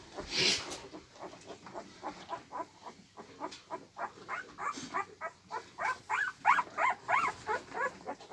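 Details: Husky puppy Molly giving rapid rhythmic whines and grunting yips, about three per second, steady then louder toward the end, with a brief sharp noise at the start.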